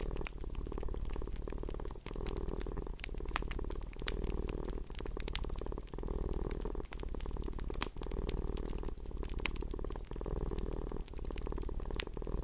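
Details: Low, even purring from a domestic cat, rising and easing in breath-length waves, while a fireplace crackles with scattered bright snaps throughout a relaxing indoor soundscape.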